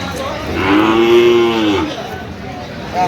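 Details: Sahiwal cattle at the Aftabganj cattle market, Dinajpur district, Bangladesh, on Saturday 6 December, where bull calves are sold; one drawn-out, arching moo of just over a second, with market voices behind.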